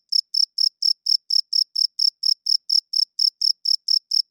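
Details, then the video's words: A cricket sings loudly at night, giving a run of sharp, high-pitched chirps at a brisk, even pace of roughly four per second. No other sounds are present. "40 Minutes of Cricket Chirping Sounds - Cricket klinkt 's nachts luid"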